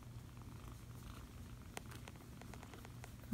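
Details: Foster kitten being cuddled, purring in a quiet low continuous rumble, with soft rustling and a brief click midway and a sudden bump at the very end.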